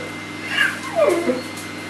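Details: Neapolitan Mastiffs Neo and Cleo, six and five years old, in rough play; a high yip followed by a descending, squeaky whine sliding downward, with faint background hiss.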